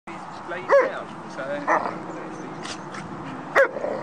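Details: Doberman playing with huskies, a Northern Inuit and a Malamute: three sharp, high playful barks spaced about a second or two apart, with rumbling play sounds and a human voice in the background.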